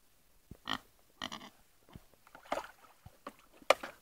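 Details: Kunekune pig sharing a bath gives two short, nasal grunts in quick succession, then softer snuffles, with sharp knocks and splashy clatter from the tub.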